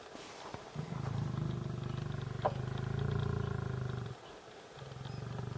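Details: A lion in Gir National Park (Sasan Gir) forest, during mating, gives a deep, rumbling, pulsing roar in two long bursts.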